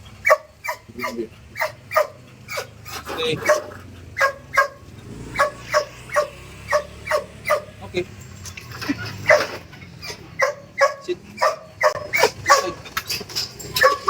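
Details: Belgian Malinois on a long line beside a road during stay-command training, barking steadily: sharp, clipped yaps at roughly two per second, a brief lull midway, then a renewed run of rapid barks over faint background noise.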